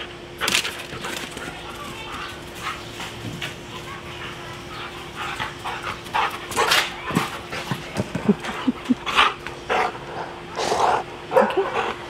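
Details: A Siberian Husky playing fetch and getting the zoomies gives short barks and whimpering whines amid a person's speech and a steady hum; Siberian Husky.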